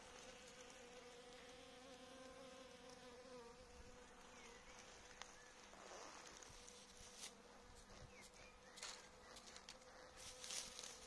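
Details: Apiary honey bees given caffeine; a continuous, even hum with overtones, joined near the end by brief high chirps of birds and a few sharp clicks.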